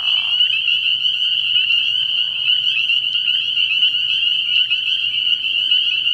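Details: Early-year nighttime frog pond alive with spring peepers, their high, bell-like peeps blending into a continuous shrill chorus, opened by a short lower buzzing burst in the first half-second.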